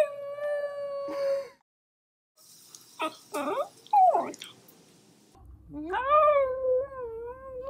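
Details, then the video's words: Shiba Inu giving drawn-out, wavering whines and yowls, some rising then falling, broken by brief harsh yelps and pauses; a faint low rumble sits under the last long cry. "Shiba Sounds! | The Sounds of the Shiba Inu"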